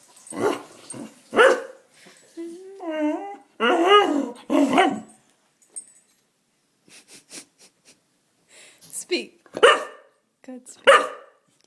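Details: Domestic dog begging for food indoors with a run of yelps and a rising, warbling, moaning whine with clear harmonics. Short barks follow, and a person talks between the dog's sounds.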